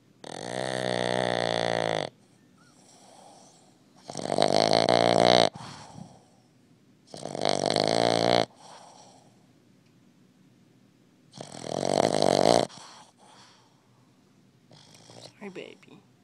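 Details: A young Boston Terrier pup snores loudly in rasping bursts, each lasting one to two seconds.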